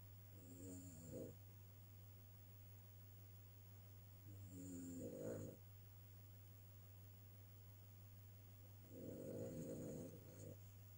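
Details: Sleeping Cavalier King Charles Spaniel, Ria, gives loud snores: three rough, rattling breaths roughly every four seconds, each ending in a brief huff, with a constant low electrical hum beneath.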